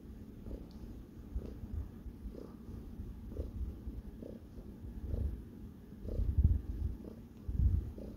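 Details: Purring from Sparkles the cat as it kneads, making biscuits; a deep continuous rumble swelling in even rhythmic pulses roughly once a second, with a couple of louder low thumps near the end.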